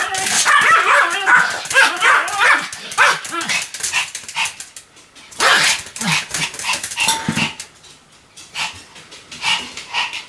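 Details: A pet Pomeranian called Sam barks repeatedly. Clusters of high, sharp yaps come roughly two or three per second, then thin out into scattered single barks toward the end.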